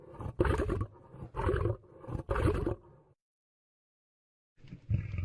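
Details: Lion roar: three deep, rough, powerful bursts about one second apart, each loud and grating, followed by a silent pause and one more low roaring grunt at the end.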